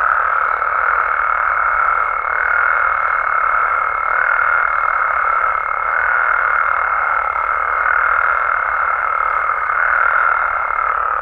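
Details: Mexican frogs and toads at night, many callers merged into a steady droning chorus, with a clear high whine held almost the entire time above the rippling calls.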